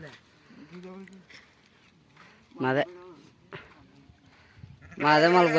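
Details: Domestic sheep during a milking demonstration: a loud, wavering, quavering bleat closes the recording, after an earlier short harsh bleat; Telugu speech talking between calls.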